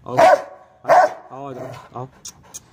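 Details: A tied-up Rottweiler, which goes mad when tied, gives two loud, deep barks about a second apart, followed by a human voice.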